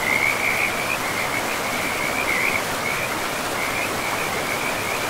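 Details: By a forest river among mossy ground, frogs keep up a high, scratchy, pulsing trill that brightens near the start and middle, while loud rushing stream water fills everything beneath it.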